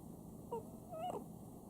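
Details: A house Chihuahua named Sam snoring. Two brief whistled squeaks come through, the second a wavering, slightly rising tone, set against a steady low hum in a quiet room.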